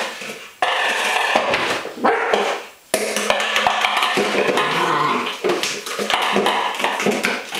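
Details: Holly, a Welsh Springer Spaniel, plays indoors with an empty milk powder container as a toy, 16 June 2012; short barks rise among loud plastic clattering, scraping and knocking of the container.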